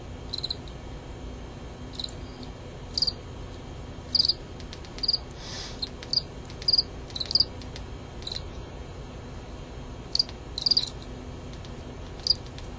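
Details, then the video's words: Two male fall field crickets, Gryllus pennsylvanicus, fighting in a contest: short high chirps of a few pulses each, spaced irregularly about one to two seconds apart, with a broad scraping burst near the middle. "Male Gryllus pennsylvanicus fighting"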